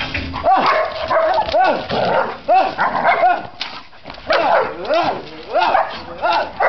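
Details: Eight-month-old Czechoslovakian Wolfdog during training, barking in a rapid series of about ten loud, arching, harmonic-rich barks with short gaps, briefly pausing midway; a person's voice is faintly heard between barks.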